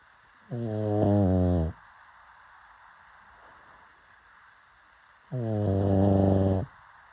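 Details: Pug snoring in its sleep: two rumbling, rasping snores roughly four seconds apart, each about a second long, with near silence in between.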